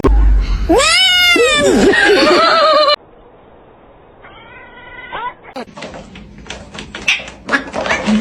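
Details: Domestic cat from a compilation of cats fighting gives a loud, drawn-out wailing call with many harmonics, wavering and bending in pitch for about two seconds, then a shorter rising-falling cry; clattering and scuffling noises follow.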